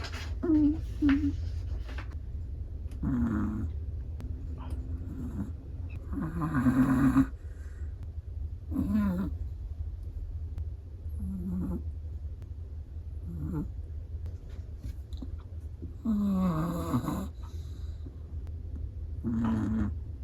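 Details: Chihuahua fast asleep, snoring in uneven rhythm: a string of short nasal rasps and fuller rattling snores, some ending in a thin whistle, over a constant low background drone.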